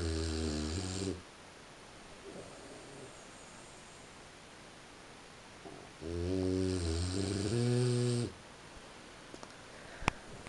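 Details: French Bulldog asleep in the early morning hours, 3:45 a.m.: a short, low snore, then five seconds of quiet, then a longer two-part rumbling snore that rises slightly at the end, followed by a faint click.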